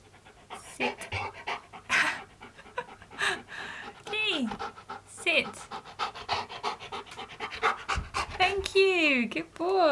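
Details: Male Siberian Husky named Keyush back-talking during sit training, arguing instead of obeying: a few bending, wavering woo-like vocal sweeps, strongest near the end, amid a person's steady praise and commands, with breathy panting throughout.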